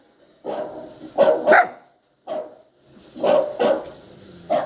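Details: Poodle puppy yowling, heard by a listening poodle: short harmonic wails in two clusters split by a brief silence, some ending in a sharp upward squeak.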